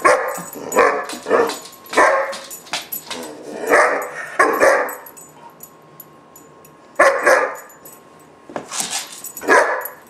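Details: German Shepherd puppy named Gunner, about 4-5 months old, in a temper tantrum: harsh, mid-pitched barks in irregular bursts of two or three, with pauses between volleys.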